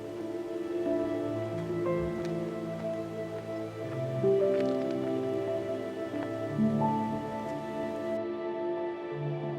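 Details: Soft, slow instrumental music with sustained tones plays throughout, and no animal sounds are heard.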